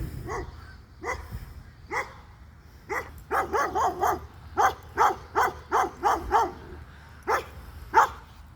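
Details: A dog reacting to being recorded while someone makes noise, giving a series of sharp barks, first spaced about a second apart, then rapid bursts of closely repeated barks, with a low background hum.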